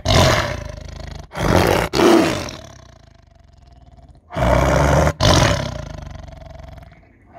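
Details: A captive tiger given a huge chicken at feeding time lets out two long, deep, rasping roars, each about two seconds, separated by a quiet pause, guarding its meal and warning the keeper not to take it away.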